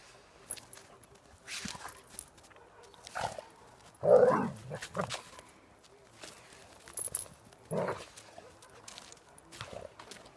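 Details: Two working-line German Shepherd dogs, a mother and her daughter, playing together in the snow. Scattered short rough noises are broken by one loud, harsh bark-like burst near the middle, with quieter scuffles and huffs between the louder moments.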